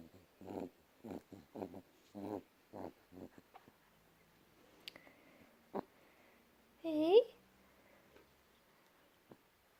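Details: A pet cat making little noises indoors. A quick run of short, throaty chirps comes first, then a drawn-out rising and falling mew, with a person's voice speaking in between.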